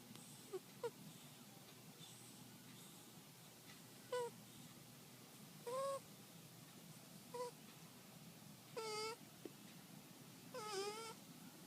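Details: Shiloh the cat snoring in sleep, giving a series of short whistling tones at uneven intervals, some flat and some wavering, varying from soft to clear against a faint steady hiss.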